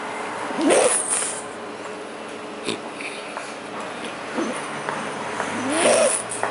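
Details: An annoyed French Bulldog gives short, gruff barks that rise and fall, spaced several seconds apart, while watching its owner's mother eat.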